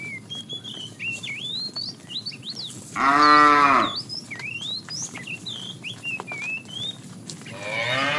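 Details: Afternoon herding of tame cows: a fat cow gives a single arched moo calling to a female, then starts another at the end, over a busy backdrop of twittering birdsong.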